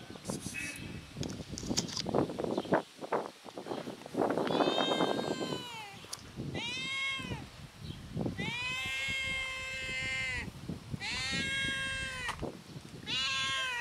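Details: Cats meowing from hunger give a rapid series of loud arched meows, each rising then falling, repeated in quick succession after a stretch of scuffling and rustling noise.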